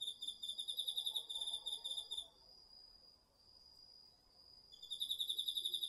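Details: Garden-field crickets of autumn calling at night, taken on a DR-40X: a two-second burst of rapid shrill pulses, a long lull of about two and a half seconds with a continuous high tone, then chirping picks up again.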